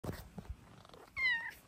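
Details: Luxey, a pet Bengal cat, gives one short falling meow about a third of a second long, preceded by low indoor rustling and soft handling noises, with a person's greeting just after.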